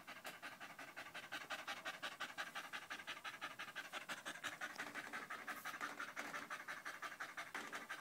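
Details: Danco, a dog keeping close against someone's leg while a Malinois puppy named Amy is present, panting loudly; rapid, steady breathy huffs, about three per second, continuing throughout.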